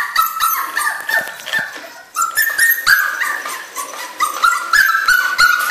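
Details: Crying from a 2-month-old puppy called Miu: quick high-pitched whimpers and yips in rapid runs, a brief lull near the middle, then renewed insistent whining with rising and falling notes.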